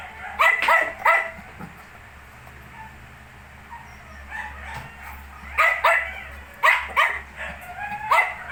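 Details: Shih Tzu puppies, 19 days old, giving short, high-pitched yelps and whimpers in clustered bursts, with quiet pauses between them.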